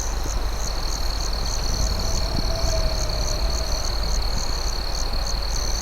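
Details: Crickets chirping at night, a sustained high-pitched trill with repeated pulsing notes above it, mixed with campfire crackles and a steady low rumble.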